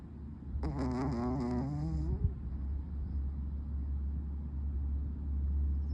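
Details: Chihuahua named Nadeshiko snoring while sound asleep on its belly: one drawn-out, whistling, wavering nasal tone lasting about a second and a half, over a steady low hum.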